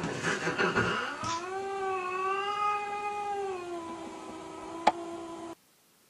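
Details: Domestic cat in a funny compilation of cats stealing dog beds; a long drawn-out meow with clear harmonics, steady then slowly falling over about four seconds, after a burst of rough calls and human speech at the start.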